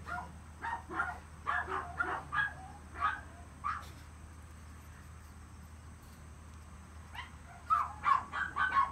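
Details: A long-haired male Chihuahua puppy born in April 2018, giving short high yelps and whimpers in bursts, a cluster early on, a few scattered ones, a quiet gap in the middle, then another burst near the end over a steady low hum.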